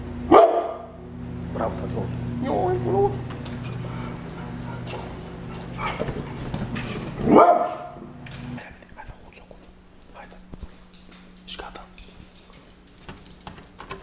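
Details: A brindle pit bull guard dog gives two loud, rough single barks about seven seconds apart, with Spanish conversation, clattering and a steady low household hum throughout.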